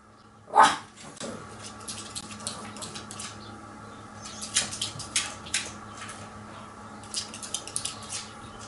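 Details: Pet dog named Ku, indoors at a slightly open door, meeting the cat Nora it wants to reach: one loud sharp bark at the start, then soft scuffling and clicking sounds of movement in a quiet room.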